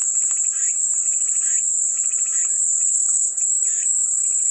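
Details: Cicada song as a steady, high, shrill buzz that never lets up, with softer chirping pulses lower down scattered through it.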